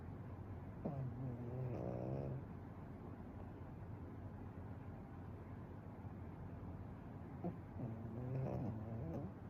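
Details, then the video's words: Pekingese dog sleeping soundly and snoring without stopping: two raspy, buzzy snores, each lasting over a second with a rattling texture, about six seconds apart, over steady low indoor hum. "ペキニーズ いびき Pekingese"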